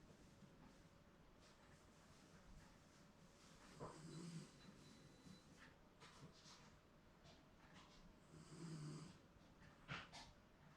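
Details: Indoors, a Shiba Inu snores softly through a comfortable nap, possibly dreaming. Two faint, low snores come about five seconds apart, with a sharp click near the end over quiet room hiss.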